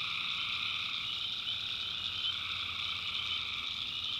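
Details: Night chorus of tree frogs from a North Carolina backwoods swamp, an unbroken wall of shrill, overlapping trills with no pauses and no other clear sounds.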